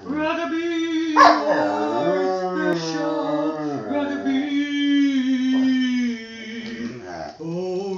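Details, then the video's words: Miniature schnauzer singing along with its owner at home: a long, steady, tonal howl with rich harmonics, wavering slightly in pitch, blended with the owner's sustained singing voice. "singing schnauzer"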